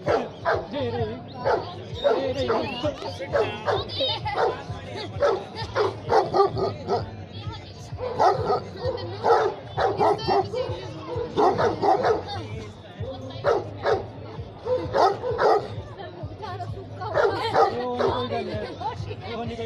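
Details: A pair of Gaddi dogs, also called Leopard Hound or Gaddi Mastiff, at the Suket Dog Show in Sundernagar, Himachal Pradesh: a run of sharp, loud barks repeated about every second, mixed with steady crowd chatter and voices.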